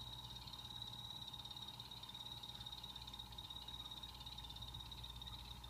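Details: Pet blue-bellied poison frogs calling in a planted vivarium give a high, steady, finely pulsed trill over a low mechanical hum.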